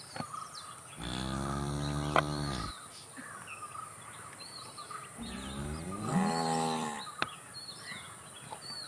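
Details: Two drawn-out, low, resonant moos from a cow, each lasting about two seconds and spaced roughly four seconds apart. The second moo bends upward in pitch. Small birds twitter steadily throughout against an outdoor background hiss.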